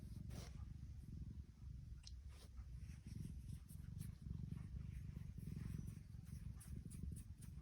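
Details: Happy female tuxedo cat purring: a steady, low, rumbling pulse that runs through the whole stretch with small swells in loudness and a few faint clicks and rustles above it.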